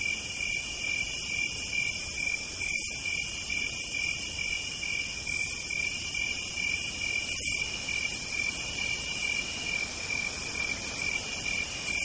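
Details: Southern night chorus of cicadas: a constant piercing trill runs beneath sizzling high buzzes that swell for a couple of seconds, break briefly, and start again.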